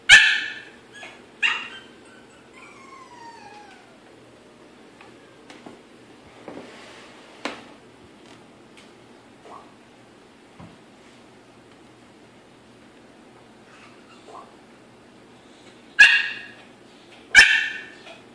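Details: Yorkshire Terrier kept behind a baby gate in Maryland, desperate to get to the big Pitbull sister; bursts of shrill yips and whining barks open and close the stretch, with quiet whimpers and rustling in between.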